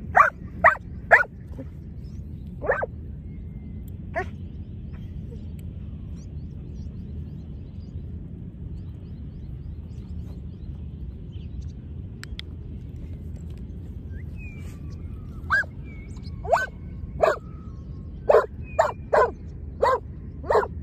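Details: Giant Schnauzer at lure training, where both dogs recalled: a quick burst of sharp barks, a long quiet stretch with a few lone barks, then a rapid run of barks toward the end over a low rumble.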